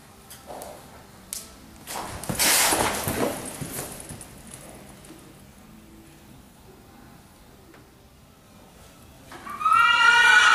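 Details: Ryleigh, a horse having fun in an arena, is heard first as scattered thuds and hoof sounds, then near the end a loud, high, shaky whinny bursts in.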